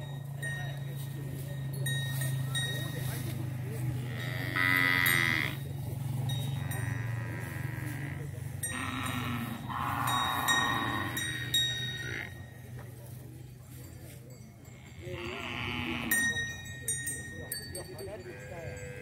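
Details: Several types of cattle, including Bali, Limousin and Brahman, gathered together in a field. Low, drawn-out lowing runs under several harmonic, bellowing calls at about five, ten and sixteen seconds, with human voices and general herd noise.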